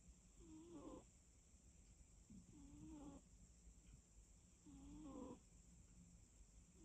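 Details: Sleeping cat snoring softly, with three slow breathy snores about every two and a half seconds, each ending in a faint rising rasp, over a quiet room with a steady high hiss.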